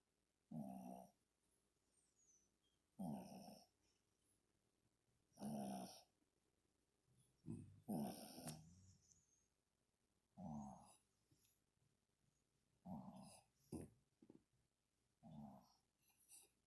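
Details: Two pet dogs asleep on a lap, snoring: loud rasping snores repeating roughly every two to three seconds, each a short rough burst with low rumbling and brighter upper noise, quiet breathing between them.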